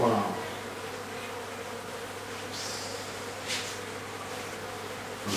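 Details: Bees from a hive inside a house in Aderet, heard during removal of the hive: a steady low droning buzz with layered hum bands throughout, a brief louder rustle at the start, faint knocks midway.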